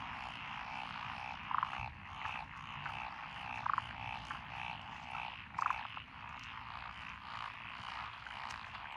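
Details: Dense frog chorus in lotus paddy fields along a country road, Echizen, Fukui, Japan, June 2021; steady rattling croaks with louder single calls standing out roughly every two seconds, over faint low background rumble.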